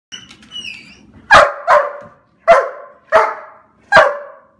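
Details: Excited black German Shepherd indoors: a soft high whine, then five sharp loud barks, the first two close together and the rest about every 0.7 seconds.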